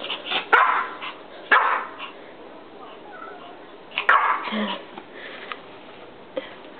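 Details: Male dog at home, excited about getting a treat toy filled with biscuits: sharp yappy barks in short bursts, about three clusters over several seconds, with a person talking and background music.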